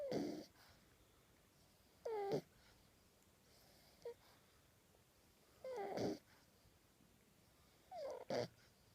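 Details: A male French Bulldog puppy, ten weeks old, snoring in his sleep with tongue out: four wheezy, snorting inhalations about every two seconds, some with a whistling edge, plus one brief faint snort, quiet room.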